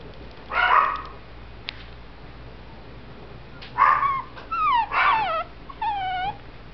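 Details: Young male Shih Tzu, born November 2011 and kept at a kennel, lets out a short yip, then a pause, then another yip followed by a run of thin, wavering whines that slide up and down.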